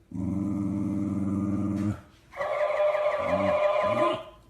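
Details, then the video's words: Angry dog growling in a compilation of angry dogs: a steady, deep, rumbling growl held for about two seconds, then a higher, tenser snarling growl with short low grunts underneath. "angry dogs growling"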